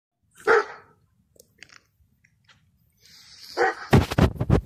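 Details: Kangal dogs in a village in spring, struggling in the heat: one loud, deep single bark near the start, a pause with faint scattered noises, then a burst of sharp rattling and clattering sounds at the end.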